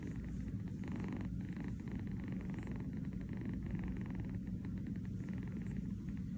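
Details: Kitten napping on a fuzzy bed in New York, purring steadily: a continuous low rumbling purr without pause, over a faint background hum.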